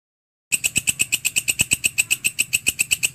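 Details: Grasshopper known locally as walang kecek or belalang kerik, recorded as a tutor sound for training songbirds; sharp, dry ticking pulses repeat steadily about seven times a second, high and metallic, after half a second of silence.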